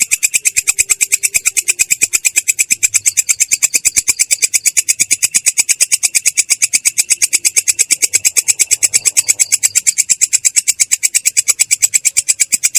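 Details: Belalang kecek, a katydid, in ngerol style, its voice clear but rough: an unbroken train of rapid, regular, high-pitched rasping pulses running from start to end.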